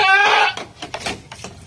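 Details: Domestic goat that has just given birth again: one loud, wavering, harmonic bleat lasting about half a second, followed by a few soft, short knocking and rustling sounds in a small indoor space.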